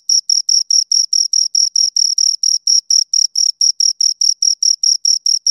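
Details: Close, high-pitched chirping from two crickets, a clean rhythmic series of short scraping pulses at roughly four to five per second, steady in pitch and loudness, nothing else audible.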